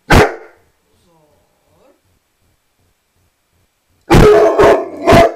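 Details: Rhodesian Ridgeback dog barking: one deep bark, about four seconds of quiet, then a burst of three loud, harsh barks in quick succession.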